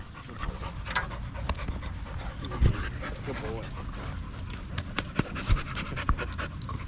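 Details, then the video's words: Staffordshire Bull Terrier with other male dogs at a park on a long evening, panting heavily in rough, rapid breaths alongside human voices talking nearby and scattered sharp knocks. "Long evening at the park male wolf pack chat"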